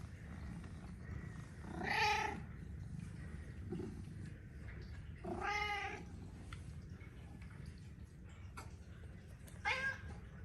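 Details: Chatty male Persian cat welcoming its owner home in an Amsterdam city-center home gives three separate meows spaced about four seconds apart. The first two are long and full, the last is shorter and fainter, with quiet room noise between them.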